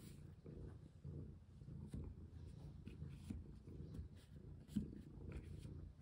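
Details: Domestic cat purring while played with indoors, the low rumble swelling and fading in short cycles of about a second, like breathing, with a few soft taps.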